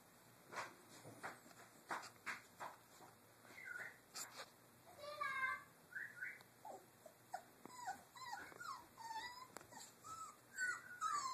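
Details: Three-week-old Doberman puppies playing in their cage area: a few thumps and clicks at first, then a run of short high whimpers and squeaky yips, some falling in pitch, scattered unevenly through the second half.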